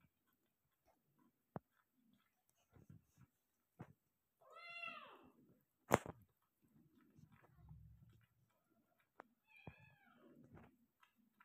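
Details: Persian cat indoors during delivery of five kittens, giving two harmonic meows: a long arched one near the middle, then a shorter, rising-falling one later, between soft rustles and sharp clicks.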